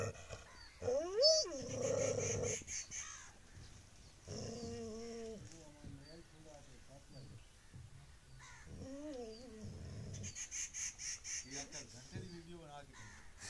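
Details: Angry street dog barking and howling loudly, apparently trying to escape; three clear bursts of harmonic, arching yelping howls separated by quieter stretches, with a faint high pulsing sound and some background talk.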